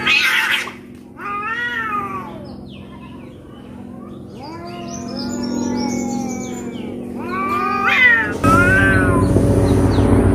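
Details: Two cats fighting in Noldanga village: a run of wavering, harmonic caterwauls that climb and fall repeatedly, one drawn-out growling moan underneath, over a steady low hum, ending in a harsh noisy burst.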